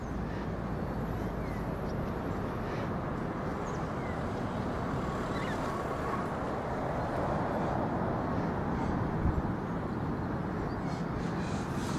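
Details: Steady low rumble of wind or distant engine noise with no clear animal calls.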